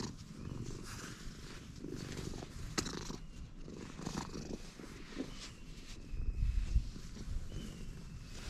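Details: Freshly met stray cat giving a deep, steady purr of quick low pulses, growing louder near the end. A few faint whistled tones and light ticks sound in the background.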